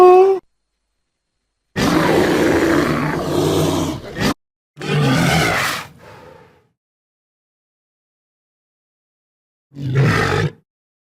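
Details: Irregular mandrill vocalizations: a long, harsh growling roar of over two seconds, then a shorter rasping call with a fading grunt tail, and a brief gruff burst after a pause.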